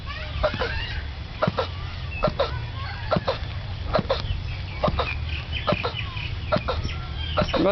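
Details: Male turtle mating in a zoo on Mauritius, heard across the zoo for over twenty minutes: rhythmic hoarse grunting calls roughly once a second, with people talking quietly nearby.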